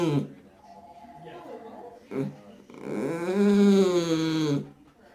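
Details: Aged blind Dachshund, about to turn 19, giving one sustained, rising and falling engine-like groan lasting nearly two seconds, after a softer, quieter grumble, heard indoors.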